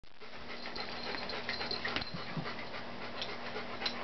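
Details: A Papillon puppy and a Miniature Dachshund puppy play together at a workplace on a Saturday morning. Quick, rhythmic panting runs at about four breaths a second, with faint scuffling and thumps throughout.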